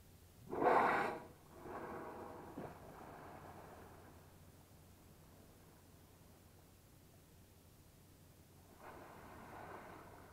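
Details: Whales emerging next to kayaks in calm water at Bahía de las Conchas, beside Bahía Magdalena, Baja California Sur; a sharp loud blow, a longer softer breath following, and a faint distant exhalation late on.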